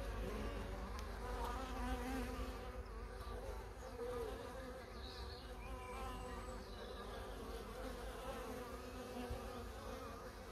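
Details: Honey bees giving a continuous, dense buzzing hum that stays steady and even for the whole stretch, with no other clear sounds.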